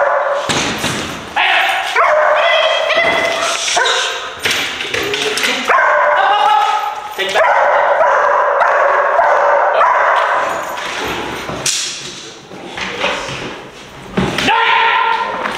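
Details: German Shepherd pup in an abandoned movie theatre during confidence-building training, barking in irregular loud bursts mixed with human speech and some higher whining tones.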